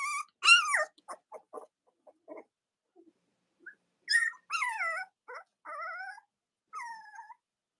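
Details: Cavalier King Charles Spaniel puppies, Robin's and Myra's litters, letting out a sharp high squeal, then faint scuffles and a later string of descending wavering whines.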